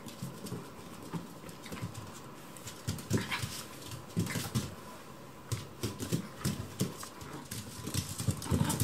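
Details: Kuromame, a tiny smooth-coated Chihuahua, plays with Marco, a Maltese, indoors; short low growls, grunts and whimpers come in bursts through the roughhousing, with scuffling and clicking noises between them.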